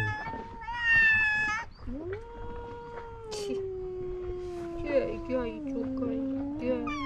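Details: Two rival male cats at the seaside in Istanbul meowing and hissing at each other: a short high wail, then a long, low, drawn-out moaning yowl that slowly sinks in pitch, with a hoarse burst between.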